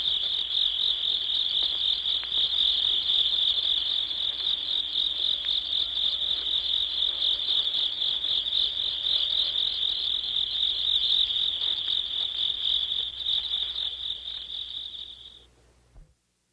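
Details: Field insects in chorus, a continuous high, thin buzzing trill with rapid pulses, holding at steady loudness for about fifteen seconds before fading and stopping abruptly.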